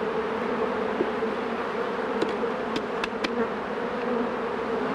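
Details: Continuous honey bee hum around hives being worked, a dense steady drone overlaid with a few sharp clicks from handling equipment in the second half.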